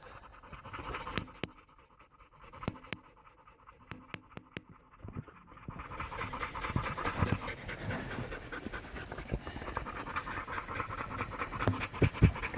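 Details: Several dogs panting hard after being exercised on a hike: quick, breathy, rhythmic puffs, about 107 a minute, sparse and interrupted by clicks at first, then becoming a dense, continuous panting over the second half.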